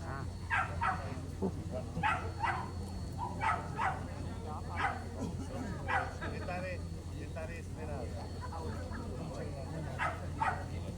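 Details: A Romanian Carpathian Shepherd dog barking: a series of loud, deep barks in short bursts, roughly one to two per second with brief pauses, over a steady low hum and faint voices.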